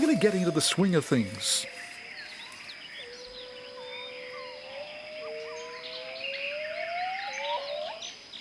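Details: Territorial song of Jarunee the gibbon: after a brief harsh wavering outburst, long pure whistled notes glide slowly upward, one after another, over a steady background hiss.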